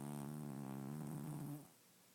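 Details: A loud, rattling snore from Murphy, a male pet cat sleeping in the dark, that holds steady and then fades into silence partway through.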